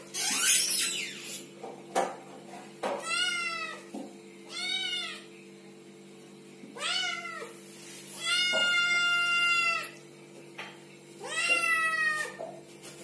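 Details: Little kittens meowing and talking, giving five high harmonic-rich meows in arching, drawn-out calls spread over the stretch, with a steady low hum underneath and a brief noisy rustle at the start.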